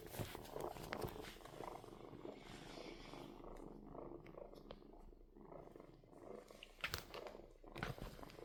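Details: Purring kitten indoors, a continuous low throbbing rumble with regular pulsing, a few louder rustles and bumps near the end.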